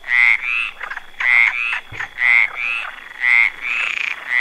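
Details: A frog sitting on a branch gives loud, nasal, paired croaks in steady bursts about once a second.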